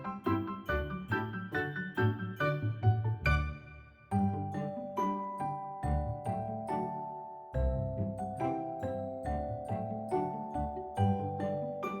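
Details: Bright chiming mallet music with repeated melodic notes plays throughout, and no animal sound.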